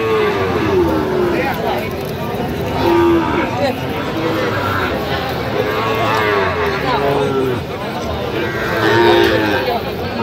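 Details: Sahiwal bull calves at Aftabganj cattle market, bought by farmers from Dhaka, recorded 28 September 2025: several short wavering moos rise and fall repeatedly over a dense bed of crowd chatter and market noise.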